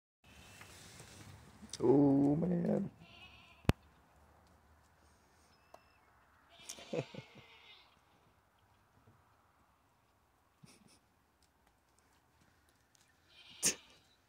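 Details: Baby goat balancing on top of her mother; one loud wavering bleat early on, then near quiet with scattered clicks, a person talking softly and a brief bright burst near the end.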